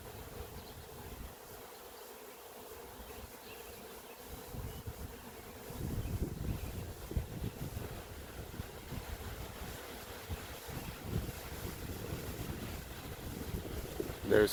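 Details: A swarm of honey bees in the air above an apiary, looking for a branch to land on in windy weather. The massed insects give a continuous buzzing drone, and gusts of wind swell louder from about six seconds.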